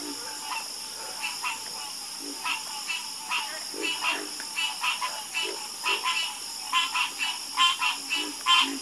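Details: Frogs croaking together, with rough, nasal pulses scattered at first and then denser and louder toward the end, set against a continuous shrill background hum.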